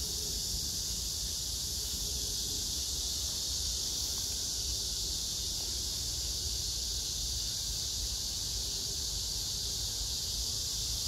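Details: Dense cicada chorus, with grass insects, beside pink-flowering crape myrtle in Hwarang Park near Gyeonggi Museum of Art, Danwon-gu, Gyeonggi-do, on August 9, 2024: a loud, even, sizzling high drone filling the whole recording, with little else heard.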